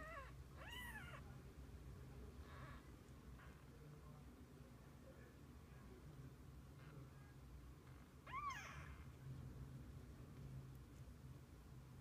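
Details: Mother cat with her kittens through the day: two clear, arching meows about eight seconds apart, the second louder, with soft faint mews between them over a low background hum.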